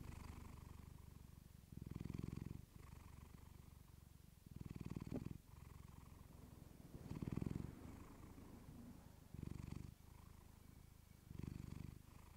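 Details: Pet cat Clementine purring softly against a fluffy microphone, a continuous low vibration rising in gentle louder pulses about every two to three seconds, with faint rubbing noises.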